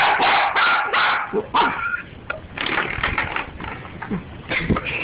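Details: Excited dachshund worked up over a door stop: rapid runs of high, rasping barks and yips, close-miked, with a person's voice briefly audible.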